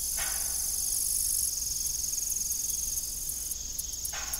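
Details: Evening crickets at an old family farm with a rusty, broken windmill: a steady, high-pitched pulsing trill runs throughout, with faint brief clunks near the start and end and a second shimmering band that drops out midway.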